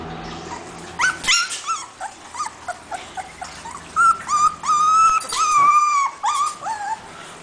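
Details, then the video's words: Female Husky puppy, the talkative one of the household, whining again: high, wavering whines with bright overtones, first in short separate bursts, then in longer drawn-out whimpers that rise and fall, several per second. "Husky puppy whining again"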